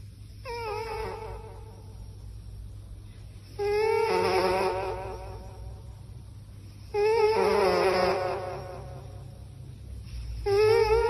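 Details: Domestic cat sleeping indoors and snoring: four voiced, harmonic, wavering snores, each lasting one to one and a half seconds, come about every three seconds over a faint steady low hum.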